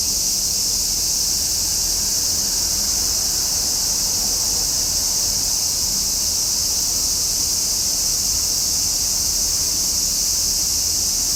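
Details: A summer chorus of cicadas, a continuous shrill buzz that is high and even, with no pauses or changes in rhythm across the whole stretch.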